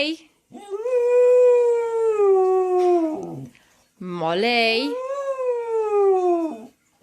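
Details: Domestic dog 'arguing' with its owners, two long sustained howling vocals, the first level then sagging, the second rising and wavering before settling and falling away; short gaps between them, no other clear sounds.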